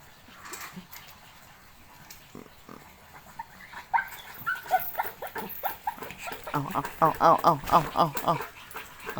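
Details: Pit Bull dog in Thailand giving a quick run of short, whining yelps, roughly four per second, each with a bending, nasal tone, after scattered quieter sounds; people talk in Thai nearby.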